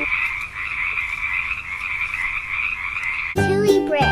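Poison dart frog giving a steady, high buzzing trill for about three seconds, cut off by a short burst of music.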